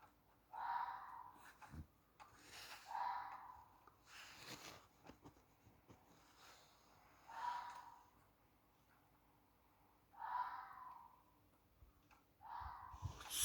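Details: Loud, hoarse, rasping screams repeated every two to three seconds at 2:45am on 14 August 2020 in Millfield, Sunderland; the listener was unsure but guesses a fox.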